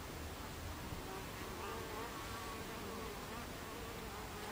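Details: Buckfast bees at the hive entrance on 26 July 2013 at 14:30, giving a dense, steady buzzing hum with faint wavering tonal bands running through it and no clear pauses.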